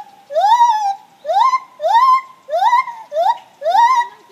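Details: Morning gibbon song of six evenly spaced rising hoots, each sliding up and then holding steady, delivered at a fairly quick, steady pace.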